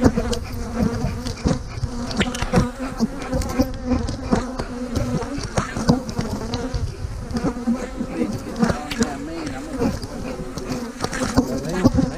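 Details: Steady low buzzing of many honey bees fills the air while colonies are split and queen cells placed, punctuated by repeated sharp clicks and bumps of hive equipment.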